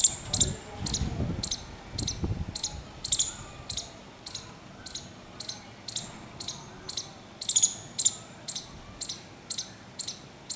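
A squirrel gives sharp, clicking alarm notes, repeated steadily about twice a second.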